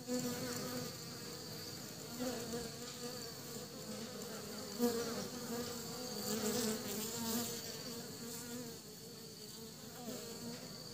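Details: Western honey bees carrying pollen back to their hive give a steady, low, humming buzz that swells and fades as they fly close.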